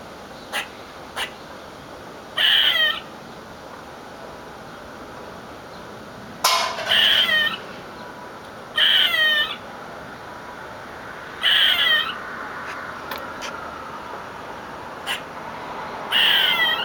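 A squirrel gives harsh, raspy screams in half-second bursts, repeated every few seconds.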